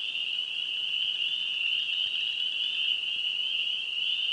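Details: Spring peeper frogs in Wisconsin calling as a dense chorus, their high peeps merging into a steady, shrill ringing band that continues without a break, with no other clear sounds.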